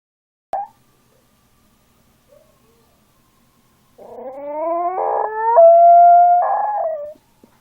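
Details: Small dog howling: a short yelp, then a howl from about 4 s that rises in pitch and levels into a steady tone, with harmonic stacks and brief rough breaks, ending after roughly three seconds.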